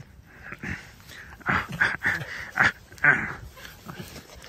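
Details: Pet red fox Alice, played with by a hand that rolls her over and rubs her belly: a run of short, rising whiny growls in quick bursts, some sharper and higher, amid soft rustling indoors.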